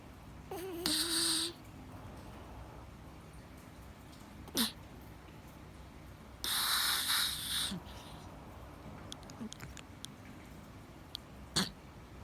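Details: Sleeping cat snoring loudly: two long, raspy, hissing breaths roughly six seconds apart, each lasting about a second, with a few faint clicks and soft snuffles between them in an otherwise quiet room.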